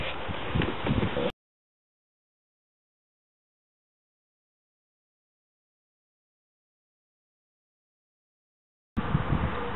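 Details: Short bursts of rustling noise at the start and end, with long silence between them and no animal voice.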